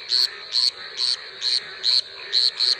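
A frog calls with short, bright, high-pitched chirps, each a brief buzzy note. They repeat at a regular pace of roughly two per second over a faint background hiss.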